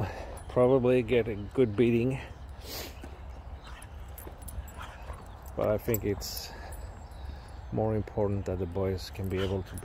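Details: Boxer dog named Rex, a talkative drama queen in a hurry to play outdoors, whines and 'talks' in wavering, yodel-like bursts near the start, around six seconds and again late on, with voices and handling noise between.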